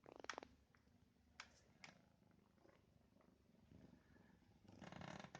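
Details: British cat purring indoors, a soft low continuous rumble with a steady throbbing pulse, broken by several sharp rustling and handling noises near the start, in the middle and at the end.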